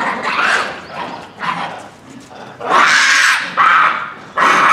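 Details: Japanese macaque troop at Hamura Zoo, Japan, December 2020, calling noisily at dusk near closing time; loud, harsh harmonic shrieks in bursts, with the loudest run of overlapping cries late in the clip.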